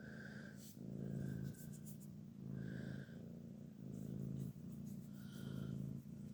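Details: A grumpy Sphynx cat grumbling: low, rough, growly bursts about a second long, repeated roughly every one and a half seconds, each with a faint higher whining tone.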